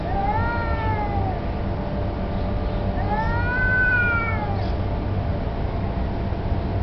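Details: Outdoor street cats in a standoff that may be a territorial challenge or mating: two arching, harmonic yowls, each swelling up then sliding down over about a second, separated by a short pause, with steady low background rumble.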